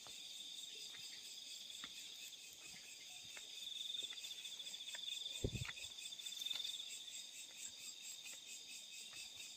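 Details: Crickets calling at night in the fields: a steady high trill holding one pitch with a fainter higher overtone, swelling louder midway, with a few soft clicks and a brief low thump.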